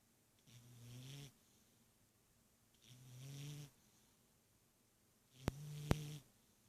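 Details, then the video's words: A sleeping pet cat snoring like an old man: three low, rumbling snores, each about a second long and roughly two and a half seconds apart, with two sharp clicks near the end in a quiet room. "Snoring cat"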